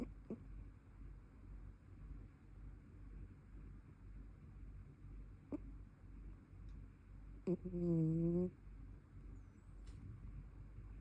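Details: Brown tabby cat snoring while asleep: steady low rumbling breaths throughout, a few soft clicks, and one louder nasal, wavering tone lasting about a second midway before the rumble returns.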